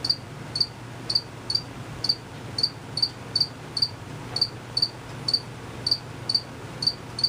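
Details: Hidden crickets produce crisp high-pitched chirps at a fairly even pace, roughly two each second, with a quiet low background hum.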